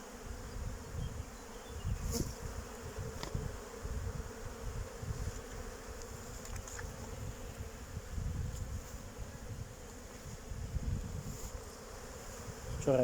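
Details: Young honey bees flying outside the hive on an orientation flight, 8 May 2023, about 14 degrees after a cold day without flight. A steady, low, continuous droning hum swells and fades over thirteen seconds, with occasional soft clicks.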